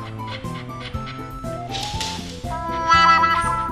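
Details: Instrumental music with brass-like tones and stepped chords, no animal voice present. Steady harmonic notes change every half second or so, and no bark or other animal call is heard.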